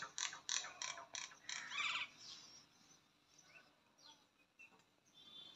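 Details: Squirrel filmed in the morning in a village: a rapid series of sharp, dry clicking chips, about six evenly spaced bursts over two seconds, followed by quieter scattered chirps against faint background noise.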